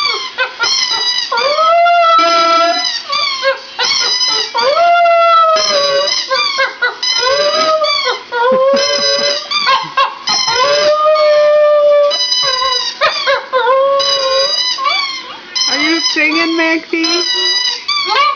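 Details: A two-year-old pet Border Terrier, newly able to howl, gives a sustained series of wavering howls, each sliding up then falling, broken by brief yips and whimpering gaps, continuing steadily for the whole stretch.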